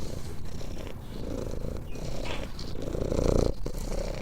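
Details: Domestic cat purring: a low, steady rumbling purr of rapid pulses that runs without a break throughout, swelling slightly louder toward the end, with faint rustling in the background.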